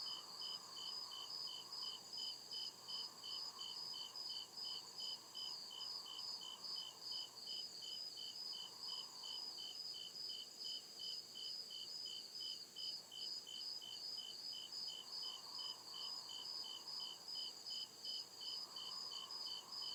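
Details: Night chorus of crickets in deep forest, a continuous run of rapid high chirps at a steady pace, overlapping insect trills, and a lower murmuring band that swells and fades in waves.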